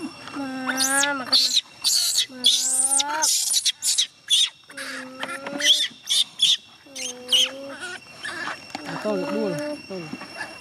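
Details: Distressed young chimpanzee Gina refusing to let her carer go home: long, clear, wavering whimpering cries, some held and slightly rising, alternating with short sharp squeals, with brief human speech in the background.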